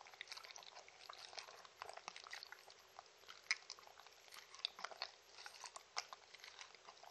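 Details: Mindy, a Shetland Sheepdog, drinking and eating treats in a small room with no talking: quieter, irregular wet lapping and splashy clicks, with a few sharper crunches standing out.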